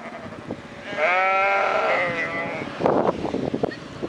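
A sheep gives a long, wavering, nasal bleat, followed by some scuffing and knocking noises.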